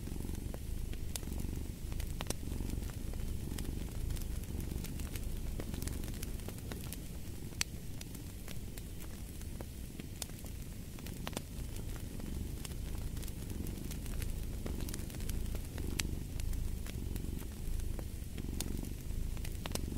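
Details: Low, continuous cat purring with a gentle in-and-out breathing pulse, set against a crackling fireplace whose frequent snaps and pops stand out above the soft rumble.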